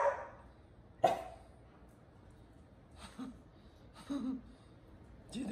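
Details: Pit Bull named Bullet with a puppy, Liberty, that keeps pestering the older dog; short sharp yelps and low gruff bursts break out at about one, three, four and five seconds, with quiet pauses between.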